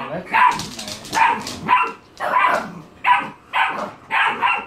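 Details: Great Pyrenees and English Bulldog meeting, one dog barking: seven loud, fairly regular barks spaced under a second apart, with a woman talking over them.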